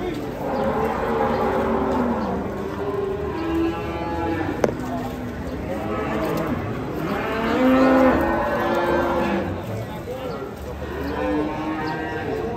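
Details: Big European-class cattle being unloaded from a truck give repeated drawn-out moos, one rising and louder near the middle, against steady crowd talk and a single sharp knock.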